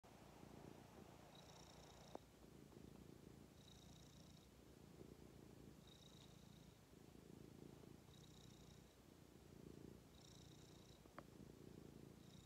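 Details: Pet cat content on its owner's lap, purring in a low rumbling drone that swells and fades with each breath, about every two seconds, recorded close indoors.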